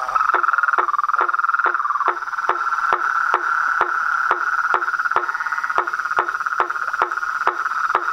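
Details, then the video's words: Toads, frogs and treefrogs calling together at dusk from a reservoir beside a house: continuous buzzy trilling drone, slightly wavering in pitch, punctuated by crisp tapping calls roughly every 0.4 seconds. "A SINFONIA DOS SAPOS, RÃS E PERERECAS"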